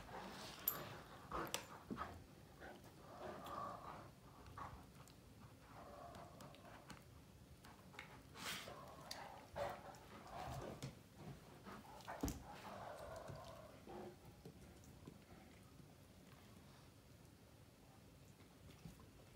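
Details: A long bout of mouth-fighting play between two male Great Danes, Finn and Magic: repeated gravelly growls and snarls with sudden knocks and snaps, tapering into quieter scuffling near the end.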